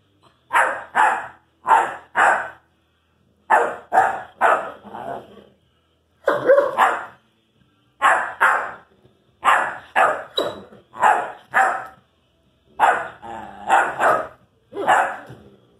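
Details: An Irish Wolfhound pup addressing his brother with a steady series of short barks, mostly in twos and threes, repeated throughout with brief gaps between groups.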